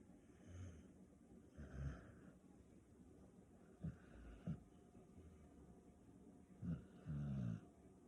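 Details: A female Staffordshire Bull Terrier napping snores in low, rumbling breaths, with a few louder snorts about every second or two over a steady background hum.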